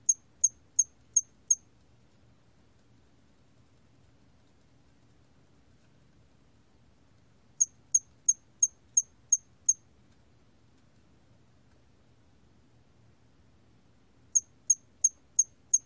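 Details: Hairy cricket recorded in Korea, 2020, for a national biological resources archive: bursts of five to seven sharp, very high chirps, each burst lasting about two seconds and followed by roughly five seconds of near silence.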